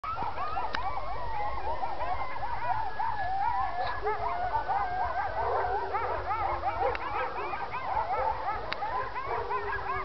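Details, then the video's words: Several coyotes howl and yip together in a wavering, overlapping chorus at night near a neighborhood. The owner guesses it is feeding time. "sounds of coyotes at night talking, turn sound up"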